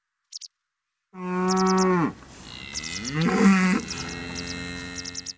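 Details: Charolais suckler cattle on pasture: a loud, deep, harmonic moo that holds steady then drops, followed by a second wavering lower bellow, while bird chirps sound faintly in the background.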